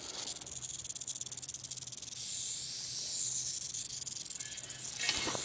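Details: Rattlesnake rattling during a strike: a continuous, dry, hissing buzz pitched very high, held steadily throughout with slight pulsing, and a brief louder burst near the end; a faint low hum runs underneath.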